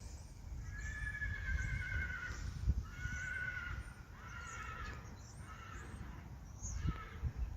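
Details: Friesian horse from a herd of many Friesian horses, whinnying: a run of drawn-out, harmonic neighs, each gently falling in pitch and lasting about a second, repeated several times over a steady low rumbling background.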